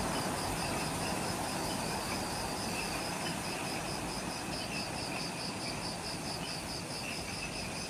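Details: Just after sunset in Ishigaki Island's forest, Okinawa, Japan, insects fill the dusk: fast regular high pulses, nearly four per second, layered on a constant shrill whine, with softer low noise underneath.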